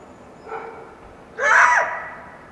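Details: Wild coyote yelping at dawn after a full moon night in the foothills of the Washington Cascades: a faint short call, then one loud harmonic yelp that flares up and slides downward, fading over a quiet background.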